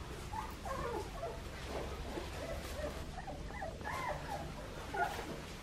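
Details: Australian Shepherd puppies aged two and a half weeks, the litter of Poppy and Dublin at Fifteen Acre Farms, Oklahoma: several thin, squeaky whimpers and mews overlap in quick, uneven bursts over a soft, steady background rumble.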